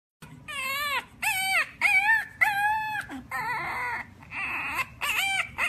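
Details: Dog vocalizing as if trying to say something to people: about six drawn-out, tonal, arching yowls with rich harmonics, each under a second and separated by brief pauses, the later ones rougher and more nasal, over a steady low hum.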